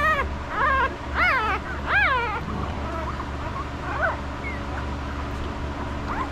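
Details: Estes puppies, five days old, handled one by one in the litter: several high, wavering squeals rising and falling in pitch, three close together near the start, then softer scattered squeaks over a steady low electrical hum.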